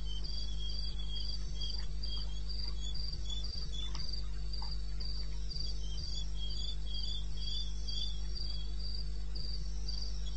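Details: Crickets in eastern Botswana wilderness, night recording at 2:30 AM on 21 May 2016, unedited: steady trains of shrill pulsed chirps, several callers overlapping at slightly different pitches, over a constant low rumble.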